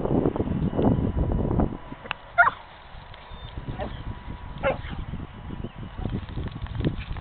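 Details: A Miniature Pinscher playing up to a Doberman gives a few short, sharp yips and barks amid low rumbling background noise.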